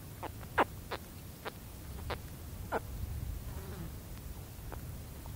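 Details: Baby spectacled caiman contact calls, brief downward chirps clustered in the first three seconds then fading to faint ones, with a low fly buzz and wind in the background.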